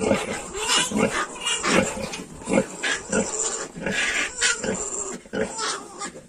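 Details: A litter of 22-day-old Yorkshire piglets gives chorused squeals and grunts. Short bright bursts arrive about every half second to one second and overlap in a continuous, busy racket.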